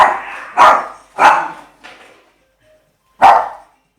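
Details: An 8-month-old male Shih Tzu, scared of a skateboard, gives three sharp barks in quick succession, then a softer yip, a pause, and one more bark, in a quiet indoor room.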